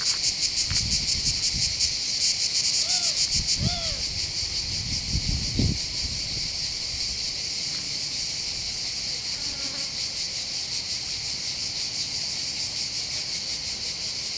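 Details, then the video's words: Cicada chorus above the port of Bandol in the Var, on the Mediterranean coast of southern France. A high rasping drone throbs evenly throughout. A bird gives a few short whistled notes early on, and low thuds and handling noises sound near the start. "accompagné par le champ des cigales"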